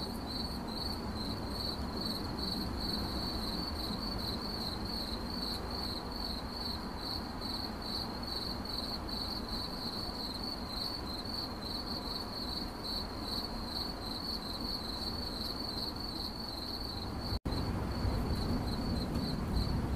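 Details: Chirping cricket, its high trill pulsing in quick, regular bursts about three times a second, with a brief dropout near the end and a steady low-frequency rumble beneath.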